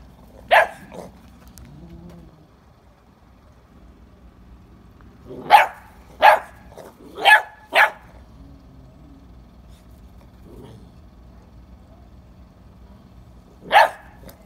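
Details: English Springer Spaniel named Ruby barking indoors: a single sharp bark, then a quick burst of four barks around five to eight seconds, and one more bark near the end, with quiet room noise between.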